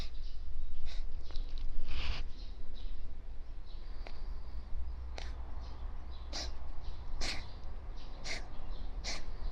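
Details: Sneezing fit of a stray calico cat just woken from a nap on bedding: short, harsh, hissing bursts, several in quick succession in the second half, over a low indoor hum.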